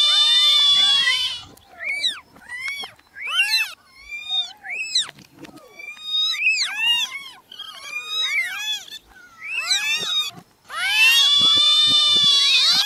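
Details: Newborn kittens calling: a long, shrill held cry opens and closes the stretch, with choppy, rapid short mews from several kittens in between.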